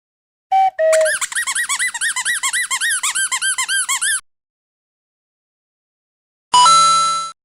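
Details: A male Boxer dog, born August 2015, gives a fast run of high, squeaky whines, then one longer drawn-out squeal.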